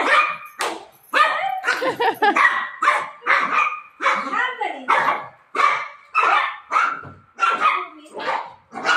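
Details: A golden retriever, desperate to reach its owner during play, barks repeatedly in short loud bursts, some with a whining edge, as a human voice continues alongside.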